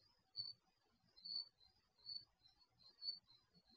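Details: Night-time crickets recorded through an HD surveillance camera mounted in a garage, giving sharp high-pitched chirps just under a second apart, weaker chirps in the gaps, and a quiet rumbling background.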